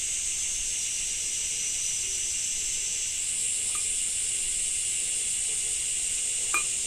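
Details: Summer cicadas in Japan during rain: an unbroken shrill buzzing wash that swells a little after three seconds, with faint low taps and a sharp click near the end.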